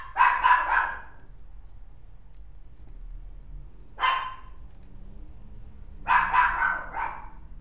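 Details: Mixed-breed dog with a white-and-tan coat barks in clusters: a rapid run of three barks, a lone bark a few seconds later, then another quick burst of several barks near the end.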